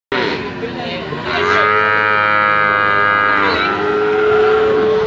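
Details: Bali cattle, medium-sized and ready for slaughter, at a livestock market: one long, drawn-out, harmonically rich moo lasting about two seconds, with steady market hubbub and other tonal sounds behind it.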